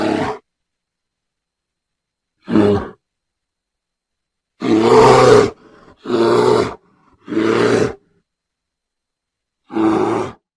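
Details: Bear, from recordings presented as real, voicing a series of short guttural growls and grunts, some spaced seconds apart, three in close succession midway, each harsh and broad.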